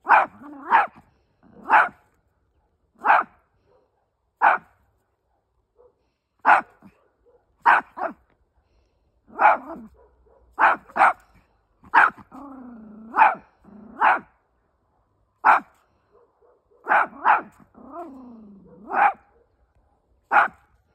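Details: Small pet Chihuahua Fido answering the barks of dogs on the other side, showing he is unafraid: a long run of sharp single and doubled barks every second or two, with stretches of low, wavering growling whine in between.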